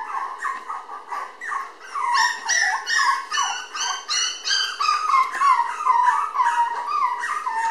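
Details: Energetic red female Toy Poodle puppy, born May 20 and 700 g at filming on June 30, whines steadily: a rapid series of high, pleading squeaks and yelps, about two or three per second, varying in pitch.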